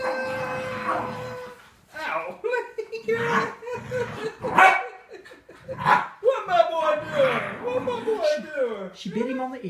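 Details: Darlin, a female Miniature Schnauzer jealous of Lincoln, a visiting beagle-boxer mix, indoors: a burst of sharp barks and yips, then rising and falling whines near the end, with people talking throughout.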